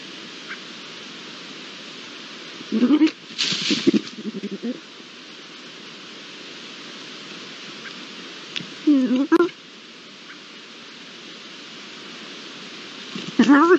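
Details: Pair of Iberian lynx behind a camera, original sound, 22-09-22: three short, harmonic, meow-like calls, spaced several seconds apart, some with a wavering rise and fall, over a steady background hiss.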